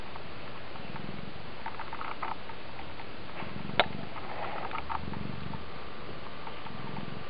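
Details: Oriental cat purring as it scratches a hand indoors: a continuous low rumbling purr in rhythmic pulses across the whole stretch, with light rustling and a single sharp click midway.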